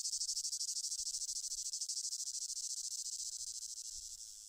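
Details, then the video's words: Cicada giving a steady shrill pulsing buzz, high-pitched and unbroken, fading slightly in loudness toward the end. "som de cigarra"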